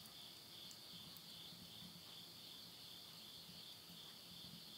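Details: End-of-summer insect voices at midnight in rural Yurihama, Tottori, Japan, September 2020: a continuous high ringing buzz that never pauses, over a soft low murmur of flames in a wood stove.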